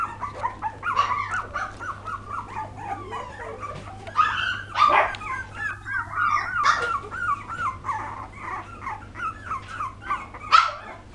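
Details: Young poodle puppies in 2012 produce repeated arching whimpers and occasional louder yips, the cries rising and dipping in quick succession, a faint hum beneath.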